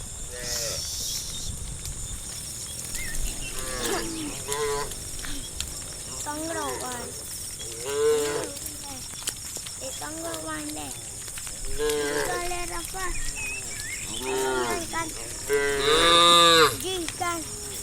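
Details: At dawn in misty countryside, a herd of cows being herded toward the farm area by a whistling, calling shepherd give long, rich, wavering nasal moos one after another over a steady high hiss, with faint voices.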